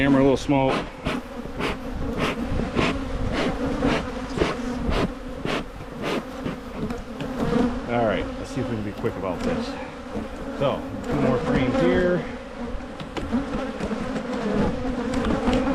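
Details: Beekeeper splitting honey bee hives in Michigan to prevent swarming; steady buzzing drone of the colony broken by sharp repeated knocks and taps of hive equipment, with a short stretch of human voice midway.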